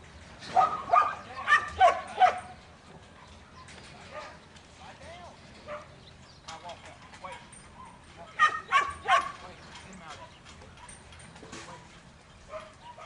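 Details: Young male Border Collie Buttons, in training, lets out a quick run of four or five loud barks, pauses through low background noise, then barks again in a shorter burst near the end.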